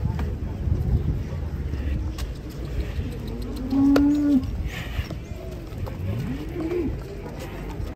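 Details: Giant cattle, many of them, unloading from a truck amid panic: a steady low moo swells near the middle, followed by a second moo that rises and falls, over a constant rumble of background noise.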